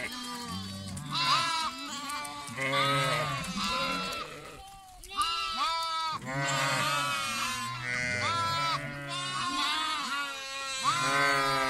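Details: Constant chorus of lambs: loud, shaky, overlapping bleats of differing pitch crowd together, with one short lull before the calling swells again.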